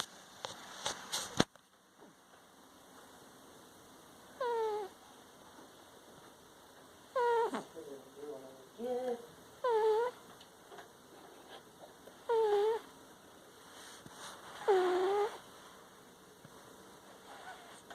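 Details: Female cat snoring while asleep in a living room: an unusual thin, squeaky whistle on each breath, rising and falling, repeated about every two and a half seconds, six or seven times, after a few clicks at the start.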